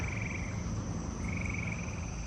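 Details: Eastern gray treefrogs give musical trills from up in the trees over a steady hum of crickets and katydids and a low rumble, with people nearby.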